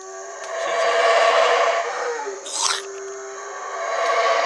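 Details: Howler monkeys roaring in Chiapas, Mexico: a broad, hoarse roar swells and fades over about two seconds, followed by a brief sharp rising sound and steady background hum.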